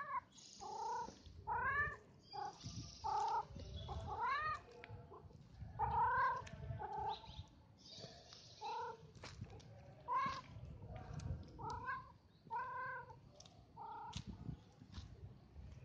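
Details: Street cat named Bob meowing persistently, about a dozen short insistent cries roughly every second, each bending upward then down, with a low rumbling background throughout.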